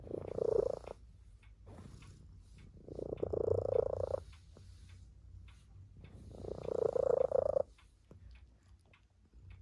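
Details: Tabby cat resting indoors beside people: three loud buzzy purr phrases, each about a second long, repeated every three seconds with quieter rumbling between them.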